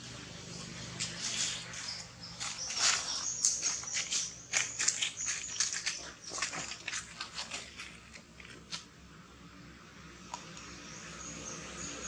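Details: Infant monkey Jinx begging for milk from its mother Jade, who refuses to nurse and rejects it: a rapid run of sharp, high, squealing cries in bursts, loudest early on, fading to quieter scattered calls toward the end.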